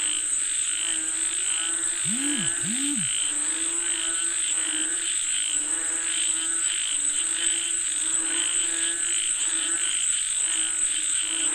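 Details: Frogs calling for rain, a steady chorus of pulsed croaks, with two brief low swooping tones early on and a continuous high insect whine.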